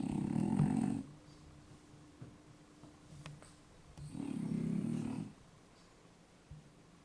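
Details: Two French Bulldogs, Yaman and Enraku, fast asleep at home: two gravelly, buzzing snores about a second long, separated by three seconds of soft breathing.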